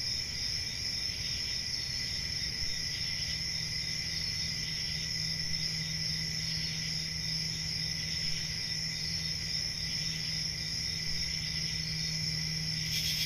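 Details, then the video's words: Ceaseless high-pitched trilling of crickets at night in summer, even in volume from start to finish. A steady low hum persists underneath, and a sudden hiss appears at the very end. "10 Hours Relaxing Cricket Sounds For Sleep Ambient Summer Night"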